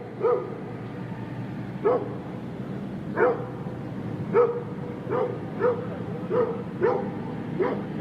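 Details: Large dog giving deep barks at uneven intervals of roughly half a second to one and a half seconds, set against a constant low rumbling background noise.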